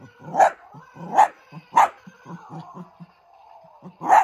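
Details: Female miniature dachshund playing with an old toy, giving four sharp, loud barks spaced irregularly, the last after a longer pause, with soft low grunts and snuffles in between.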